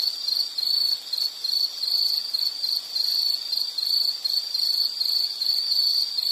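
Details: High, even insect trill that swells and falls in loose groups, roughly 51 per minute. The pitch stays constant, with faint higher shimmer and nothing else audible.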